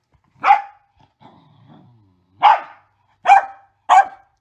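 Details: A Mini Goldendoodle with the zoomies gives four sharp, sassy barks with a low grumble between them.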